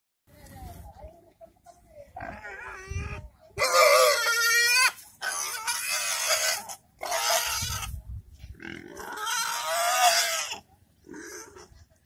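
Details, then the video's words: Pigs in an Indian village letting out loud harsh squeals in several bursts of a second or more, with short gaps and low grunting between them. "pig sounds"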